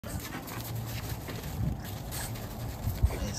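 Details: French bulldogs fight on a balcony, growling low and rough in a scuffle, with a faint steady high whine behind.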